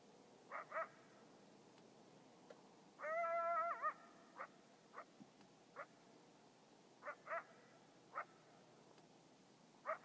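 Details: Coyote (Canis latrans), yips and howl.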